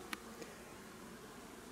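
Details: A low, continuous hum of honey bees at a weak, less active hive, checked while drone-laying colonies are replaced; two brief sharp clicks break the steady drone near the start.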